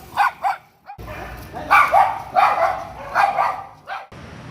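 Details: Bichon Frise with a habit of barking at passers-by and dogs and chasing cars, barking repeatedly: a quick pair of sharp barks, a brief pause, then a run of five loud yappy barks roughly half a second apart over low background hum.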